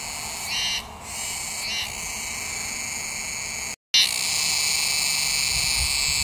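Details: Cicada song: a dense, continuous high-pitched buzzing drone that holds steady throughout, with a few louder pulses early on and a brief break of silence partway through.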